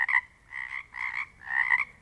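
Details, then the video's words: Several Pacific chorus frogs in a quiet Pacific Northwest place give raspy two-part croaks in quick succession, each frog sounding slightly different. "Sounds of the Northwest: Pacific chorus frogs"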